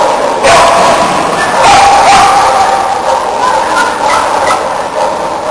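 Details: Shetland Sheepdog (Sheltie) from Brazil running a team agility event at A&C2008 in Argentina; sharp barks come irregularly over steady hall noise, with voices, a brief whistled tone and crowd murmur.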